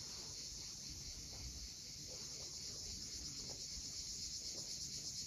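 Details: Cicadas at sunset on the steep coast of Cape Fiolent, Crimea, a steady high shimmering buzz held without a break, over a low rumble of waves below.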